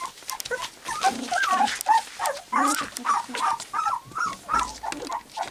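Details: Three-week-old white English cream golden retriever puppies at play, trying out their barks: a run of short, high, squeaky yips and whines in a fairly even pulse roughly every half second, with overlapping littermates.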